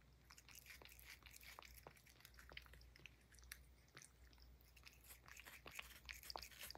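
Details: Banana peel being eaten by Puff, a Highland Lynx cat, inside a small room: steady crunchy bites and moist mouth clicks at an irregular quick pace, rising a little louder toward the end over low hum.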